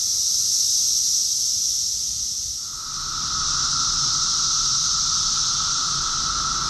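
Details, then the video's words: Cicada chorus recorded in June 2021 in Rockville, Maryland, USA: a dense, unbroken high-pitched hissing drone fills every moment, briefly dipping in loudness before a steady, lower humming tone joins partway through and holds to the end. "Cicadas song || Cicada's chorus song"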